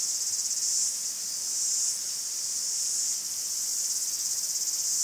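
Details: Greek forest cicadas: a shrill, sizzling wall of high sound with quick rhythmic throbbing at the start and end and a smoother swell in between.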